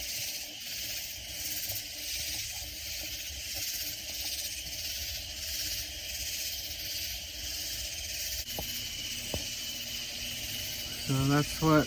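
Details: Loud Texas Hill Country katydids near San Antonio give a continuous high, hissing chorus with faint pulsing, broken near the end by a sharp knock and brief nearby noises.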